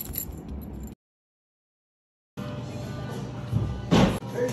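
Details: Jangling keys and background music with brief speech, broken by a second of total silence, then car-interior noise and a sharp clatter near the end.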